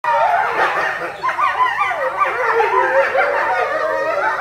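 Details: Eastern timber wolf family of eight, parents and young, howling together at Higashiyama Zoo and Botanical Gardens in July 2011; many overlapping wavering howls, sliding and bending in pitch, form a dense continuous chorus through the whole clip.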